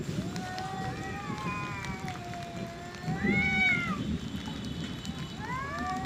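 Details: Two male cats in an angry fight over their area, long wavering yowls and rising wails, low rumbling and hiss underneath.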